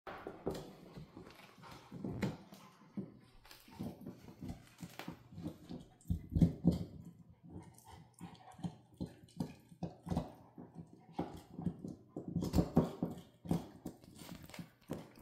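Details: Zola, a female Central Asian Shepherd puppy, playing with a bone: soft, rapid breathy bursts about four per second, uneven in rhythm, low and throaty, with occasional louder puffs and faint scuffling.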